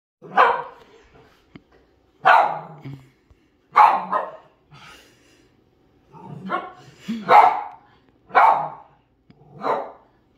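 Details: A pet dog barking loudly at something she senses outside, even when nothing can be seen, acting protective of her family: seven sharp, loud barks spaced roughly every one to one and a half seconds, with a few softer grunts between them.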